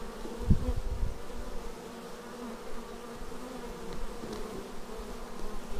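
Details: Bees flying in to their hive, recorded raw on a Xiaomi Yi action camera. A continuous low, even hum from many wings, with a brief louder buzzing burst early on as one insect passes close, then a smooth steady drone.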